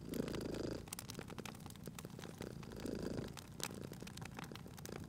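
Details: Cozy cat purr at a fireplace, deep buzzing rumbles coming in short bursts about every three seconds, nearly buried under the steady crackle and sharp pops of burning logs.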